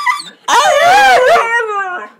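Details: A 4-month-old white Siberian Husky puppy talking to its owner: a long, loud, wavering howl-like moan that rises and bends in pitch, trailing into a softer falling whine.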